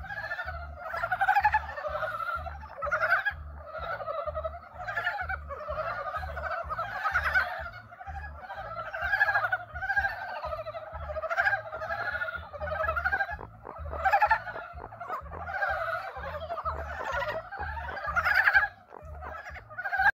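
A chorus of frogs gives rapid, overlapping croaking calls to attract mates.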